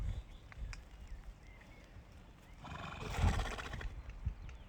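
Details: Horse giving a single harsh, breathy burst lasting under a second, roughly three seconds in, after a quiet stretch of low rumbling background with a faint thin whistle.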